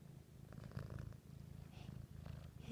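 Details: Purring Siamese cat hidden under a blanket at home, a continuous low throbbing purr with even pulses, while a person speaks gently to the cat over it.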